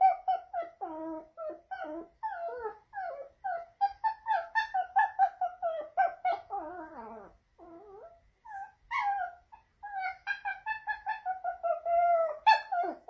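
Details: Pomeranian dog named Leo in Saint Petersburg, Russia, September 2021, howling dramatically indoors to attract attention: a long run of short wavering whines and yelps, rising and falling in pitch, with a brief pause near the middle.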